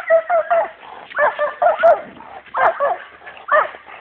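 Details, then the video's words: Dogo Canario champions Hena and Dagmar in attack work; loud, strained barks with a rough, growling edge come in uneven clusters of two or three, close to the microphone. "Dogo Canario Ultimate Selection - Atacking CH.Hena & CH.Dagmar E.P.G.C."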